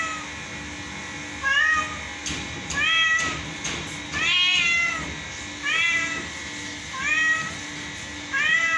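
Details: Pet cat said to be singing, producing a series of about seven arched, rising-falling meows roughly every second or so, some louder and longer than others. There is a faint constant hum in the background.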